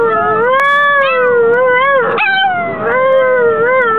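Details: A Chihuahua sings on the way to a chihuahua race with one sustained, wobbling howl that swells and dips in pitch and is briefly broken by a yelping catch midway before it continues.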